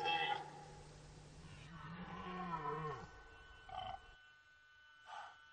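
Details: Red deer roaring during the rut at the Orzysz military training ground in Poland, an archival recording: a long, deep, harmonic bellow that sinks in pitch near its end, followed by two brief hoarse grunts.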